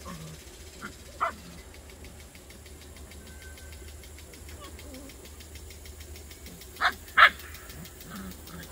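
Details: Bouvier des Flandres puppies outdoors in a garden yelping and barking in brief bursts, two strong barks close together near the end, with a low constant rumble behind.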